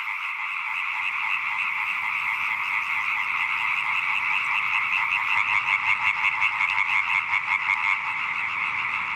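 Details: European tree frogs, a pond chorus of many singing males at nightfall, whose signals are the females' only means of judging male quality; dense, continuous fast croaking pulses blend into a steady rattling din with no pauses.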